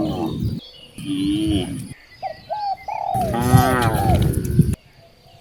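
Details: Cows on a village street during morning herding: lower grumbling moos, then one strong rising and falling bellow, with bird chirps and whistles heard between.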